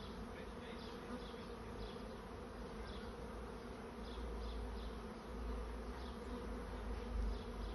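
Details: Swarming honey bees seeking a new home give a steady, dense buzz that swells slightly in the second half. Faint, rapid high chirps repeat in the background.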